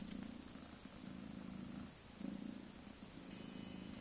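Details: A mother cat with kittens only a few weeks old purrs in a soft, continuous low throb that swells and fades in pulses, with a short pause near the middle.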